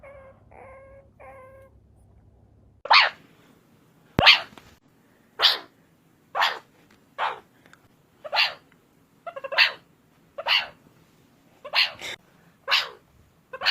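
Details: Meerkat sounds: three soft harmonic chirps, then a steady series of sharp, bright, clipped barking calls roughly every second, with faint background hum.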